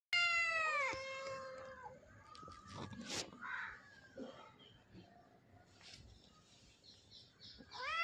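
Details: Indian mother cat with her small kittens, born in a house backyard; a loud, high, falling meow with strong harmonics opens, quieter rustles and faint calls follow, then another rising meow at the end.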